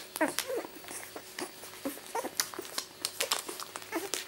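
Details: Rosie's two-week-old miniature Labradoodle puppies, born 31 July 2009, feeding indoors: short high squeaks and whimpers in quick, uneven bursts, mixed with soft wet clicks and shuffling from the litter.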